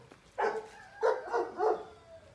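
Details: Beethoven, a five-month-old Saint Bernard puppy described as gentle, soft, calm and the most relaxed of his litter, gives four short, mid-pitched woofing barks spaced about half a second apart, with a quiet background.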